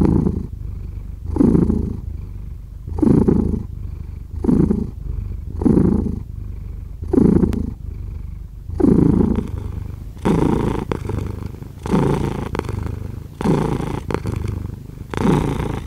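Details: Cat purr rising and falling in steady breath-paced pulses about every one and a half seconds; low rumbling throughout, with soft clicking and rustling becoming more frequent in the second half.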